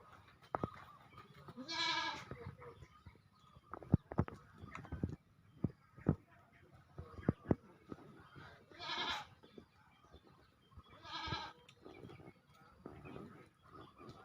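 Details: Goat in Gampong Matang Seutui village, East Langsa, Langsa, Aceh, Indonesia, giving a few harmonic bleats around two, nine and eleven seconds amid clicks, knocks and background noise.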